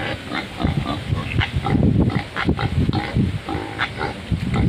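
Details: A huge, healthy wild pig in the mud gives a rapid, uneven series of low, rough grunts and snorts, packed closely together across the whole stretch with brief dips between bursts.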